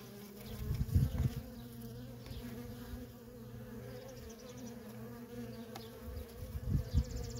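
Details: Nonstop stream of worker honey bees at a feral colony; an even humming drone broken by two loud, rough close fly-bys, one early and one near the end.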